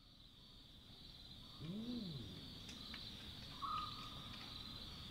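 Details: Chacma baboon calling at night in the African bush: a single arched, harmonic bark rising and falling over about half a second, set against a steady high insect drone and faint distant calls.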